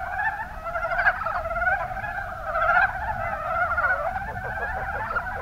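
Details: Kuma Basin, Kumamoto, Japan: mountain brown frogs (Rana ornativentris) in a thick, unbroken chorus of gravelly pulsed croaks, ending with a quick run of evenly spaced short clucks.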